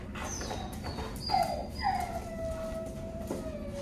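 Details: Labrador Retriever puppy Zoey, five months old, in obedience training in Augusta, Georgia, gives thin high whining whimpers that slide downward and trail into a long steady whine, over a low background hum.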